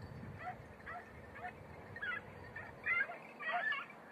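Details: Beagles working a hare during training on Crete, Greece: distant, thin yelping bays that grow louder and closer over a few seconds, over a steady background hiss.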